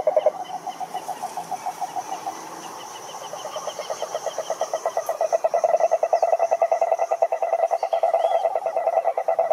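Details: Toad croaking in a long, rapid pulsed trill, like a quick run of clicks. It grows louder and more even toward the end, over a softer chorus of other callers.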